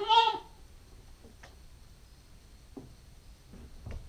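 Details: Nubian goat kid, a nine-week-old female, recorded on a GoPro: one short, nasal, wavering bleat opens the clip, then near-quiet with a few faint knocks and rustles.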